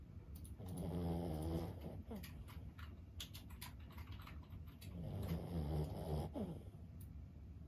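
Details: Sleeping Boston Terrier Lulu, aged fifteen, gives two drawn-out, low rattling snores about four seconds apart, separated by quieter breathing in a small indoor room.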